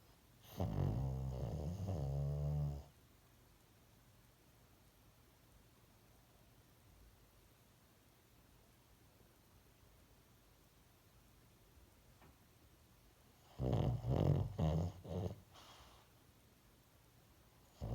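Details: Dozing dog snores twice, once at the start and again near the end, each a gravelly low rumble about two seconds long, with a long hushed stretch of near silence between them.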